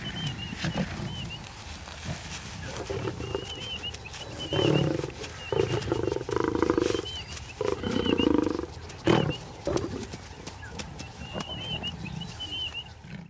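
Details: Lions squabbling over freshly killed baby warthogs in Nakuru National Park, Kenya; bursts of harsh mid-pitched snarls and growls come in loud pulses over a low rumble, with repeated bird chirps above.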